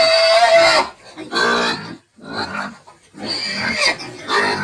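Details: Pigs of a medium-sized, bristleless dual-purpose breed raised for meat and lard, screaming in loud harsh bursts of under a second, broad and noisy with stacked harmonics, separated by short silences.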